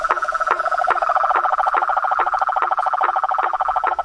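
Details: Frogs, toads and treefrogs calling in the wild: rapid pulsed rattling calls, several overlapping voices, with sharp clicks recurring about every half second throughout.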